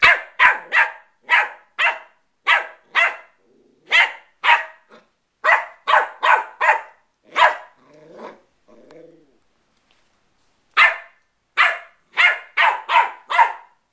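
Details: West Highland White Terrier puppy playing, giving sharp high barks in quick bursts of three or four, with short pauses and a brief soft whine between volleys.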